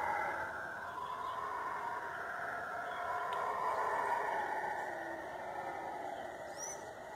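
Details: Forest howler monkeys giving their eerie night and dawn call: a continuous rumbling roar from several animals, swelling gently around the middle and tapering off toward the end, with a faint whistle near the close.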